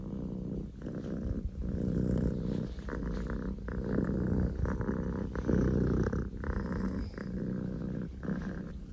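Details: Strong, continuous purring from Poko J, a Scottish Fold kitten born October 2019; a deep motor-like rumble rising and falling with each breath, phrases lasting about one to two seconds each.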